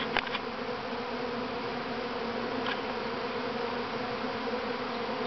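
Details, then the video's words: Honey bee swarm, the first to leave the mother hive, at Grass Lake Sanctuary in Manchester, Michigan, on May 13, 2012; a dense, steady droning hum of many bees with tonal bands, brief clicks early on. "Honey Bee Swarm"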